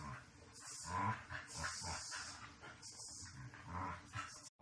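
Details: During behaviour-correction and obedience training, a Shiba Inu makes a continuous low, harmonic growling grumble that rises and falls, over a background of steady hiss.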